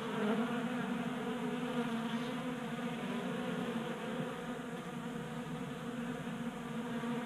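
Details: Honey bees feeding at a 3D printed tabletop feeder in a garage in Colorado on a warm January day, making a continuous steady buzzing hum with layered harmonic drones, several bees overlapping.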